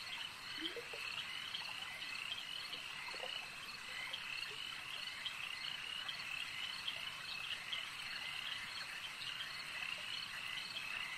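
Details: A chorus of frogs at a lake keeps up a constant shrill trilling, while a few lower, short croaks break through near the start and again around three seconds in.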